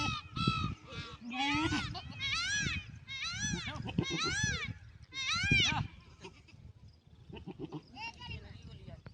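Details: Goats on a farm giving loud, wavering, nasal bleats in a quick series of about five calls over the first six seconds, with people talking in the background and quieter scattered sounds afterward.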